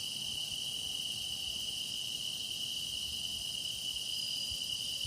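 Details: Continuous song of grass insects, a sustained piercing tone held without pause and topped by a fainter, fizzing higher shimmer, with a faint low rumble underneath.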